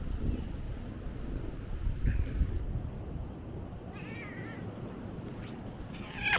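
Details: Free-roaming cat on Ikeshima, a Japanese cat island, filmed around the 2024–2025 New Year; a short wavering meow and a brief later cry cut through steady outdoor background rumble.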